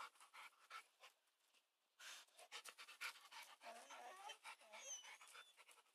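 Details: Labrador Retriever panting while trying to play with a hedgehog: quiet, rapid, breathy huffs in a steady rhythm of several per second, with a brief pause partway through.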